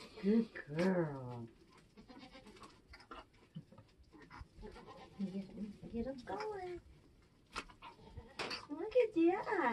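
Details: Nigerian Dwarf goat giving birth on a homestead in kidding season, uttering several quavering bleats that rise and fall in pitch, spaced a few seconds apart, amid people talking softly nearby.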